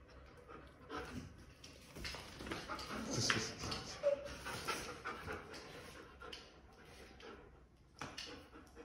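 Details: German Shepherd named Mango playing tug-of-war: rough, breathy panting bursts roughly once a second, with a short scuffling, louder stretch mid-way as the dog tugs, then quieter breathing.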